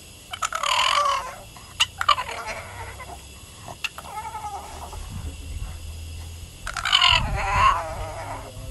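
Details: A female Boston terrier talks back to her owner with crying sounds: a loud whine, clicks, a soft warbling murmur, then two strong rising-and-falling whines with low thumps beneath.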